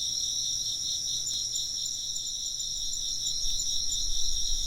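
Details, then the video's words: Several insects keep up shrill, pulsing chirps stacked in layered high bands. A soft low background noise swells toward the end. "風鈴の音と虫の声 - wind chimes and chirping insects"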